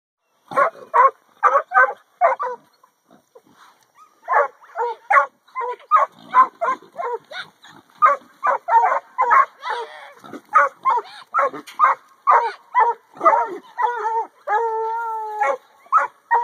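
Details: Two 8-month-old pups, Rooty a McHugh line Catahoula and Shelby a black and tan Coonhound, in a pen giving pigs a hard time one afternoon; rapid bursts of yappy barks with some drawn-out howling notes near the end.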